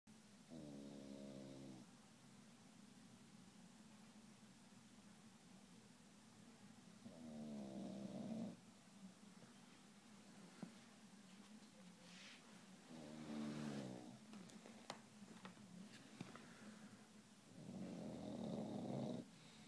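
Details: English Bulldog snoring, long rattling nasal breaths about every six seconds, each lasting over a second with a buzzy rumbling texture, separated by a steady low hum and faint clicks.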